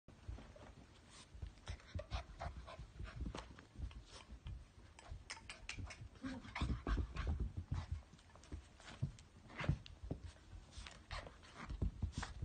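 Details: Ten-week-old F2 Pomsky puppy, a breed also called Arctic Spitz, panting in rapid, breathy, broadband bursts that come in uneven clusters over a steady low rumble, with occasional louder huffs toward the end.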